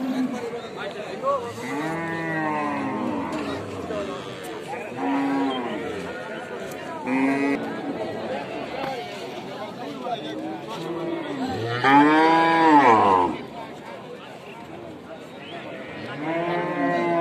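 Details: Cattle moo repeatedly, one arching, nasal call every two seconds or so, some low and some higher. The loudest and longest moo comes near the end, with faint chatter and background hum beneath.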